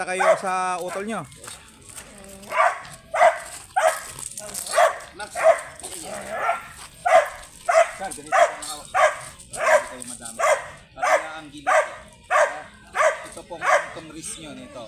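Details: Grey sable Belgian Malinois, presented for stud service at Bisal, Manaoag, Pangasinan, barks in a steady run of sharp, loud woofs about every half second or so. Faint talking starts the sequence.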